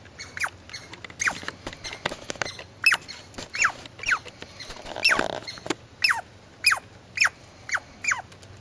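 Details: Squirrel calling in a series of sharp, falling squeaks, about a dozen, mixed with rustling and brief scratchy noise bursts between the notes, a low hum underneath.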